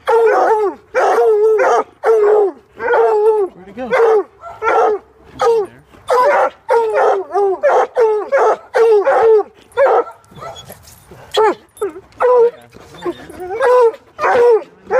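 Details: Coonhounds keep a squirrel cornered in a pig sculpture, baying and barking almost nonstop for fifteen seconds with dense, overlapping yelps and howling barks, pausing only briefly near the middle.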